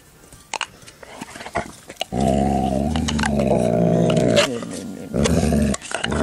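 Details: Herr Maier, a Dalmatian, defends his chew bone with a loud growl: after a few scattered clicks and bumps, a deep rumbling growl runs unbroken for about three seconds, pauses briefly, then resumes.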